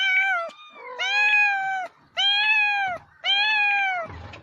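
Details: Domestic cat meowing: four loud, drawn-out, richly harmonic meows, each lasting close to a second with short pauses between, steady in pitch before sagging slightly at the end, with a faint softer call between the first two.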